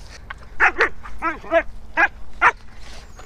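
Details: A huge mastiff puppy barks at a longboard in bursts of about five rapid, ringing woofs, several with an arched, yelping rise and fall, over a faint background murmur and outdoor hum.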